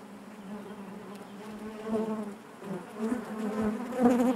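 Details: Honey bees buzzing inside their hive: a dense, steady hum with a low drone, swelling louder toward the end and wavering in pitch as many wings beat at once.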